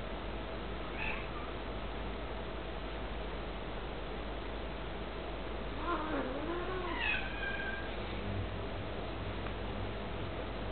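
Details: Two British cats indoors while playing, as if discussing something: a short high meow near one second, then a clear falling-rising meow around six seconds and a harmonic chirping meow near seven, over steady room hum.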